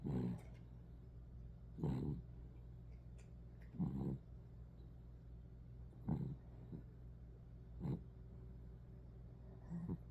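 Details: Sleeping poodle puppy snoring, low rasping breaths repeating about every two seconds over a steady low hum.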